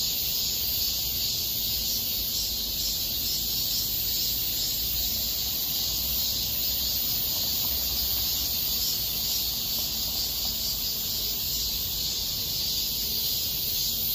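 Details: Cicadas singing in Mirae Sarang Park in August 2021: a dense, unbroken high buzzing hiss with a faint rhythmic pulsing throughout, steady in loudness, with no other clear sounds.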